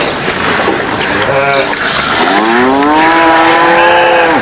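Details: Livestock cattle scrambling over food: a short low call, then a long rising moo that holds steady for about two seconds before dropping, set against constant rustling noise.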